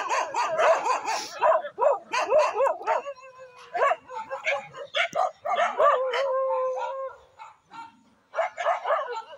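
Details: Village dogs fighting, dense bursts of harsh barking and snarling yelps, then a sustained whining howl held for several seconds before the barking resumes.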